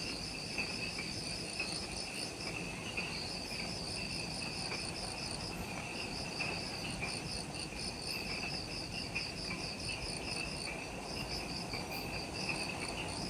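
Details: Forest insects at Ishigaki Island's Mount Omoto trailhead, Okinawa, Japan, in twilight right after sunset, producing a continuous wall of fast, evenly pulsed high-pitched trills. The trills stack in three bands, and a low, steady background noise runs beneath them.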